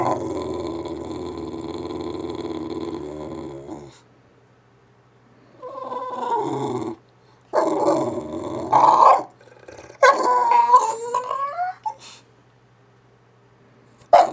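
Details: English bulldog making wookie-type noises: a long buzzy growling moan for four seconds, then after a pause several shorter wavering, rising and falling grumbling howls with rough tonal bends.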